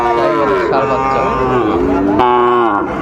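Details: Sahiwal bull calf for sale at a Sylhet cattle market, Bangladesh, on 16 December 2024. A sustained, nasal moo slowly falls and then rises again, while men bargain over the price in the background.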